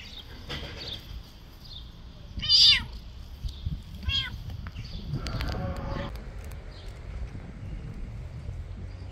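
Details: Orange domestic cat calling loudly: a few short meows with stacked harmonic bands, the strongest near the middle, then a shorter one about a second and a half later, over low background rumble and faint outdoor noise.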